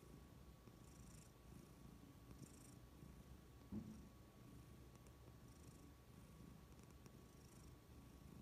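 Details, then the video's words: Domestic cat purring happily: a continuous low rumbling drone whose soft hissy breath bursts recur about every one to one and a half seconds, with one brief thump midway. "Cats purring happily"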